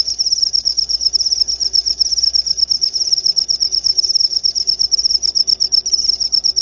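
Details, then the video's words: A cricket's high, pulsing chirp runs unbroken, its quick beats coming about four per second in gentle swells, meant for calming the mind before sleep and repelling rats. "Suara Jangkrik"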